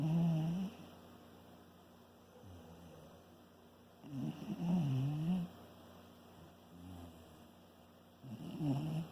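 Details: Shiba Inu snoring while asleep, low grating snores recurring every few seconds, softer raspy breaths between them in a quiet room.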